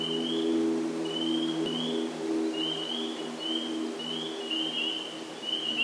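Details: A chorus of spring peepers at a vernal pool in Sudbury, Massachusetts, on 11 April 2019, gives high, rising peeps that overlap steadily over a low droning hum.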